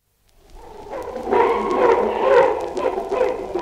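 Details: Chimpanzee giving a steady run of low, rough grunts that swell in loudness after a quiet start, blending into a continuous throaty chatter through the whole recording.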